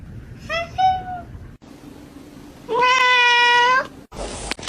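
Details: Cat giving two meows indoors: first a short, wavering, rising-then-falling mew, then after a pause a loud, drawn-out, strained meow of about a second, rich in harmonics, ending in a burst of noise.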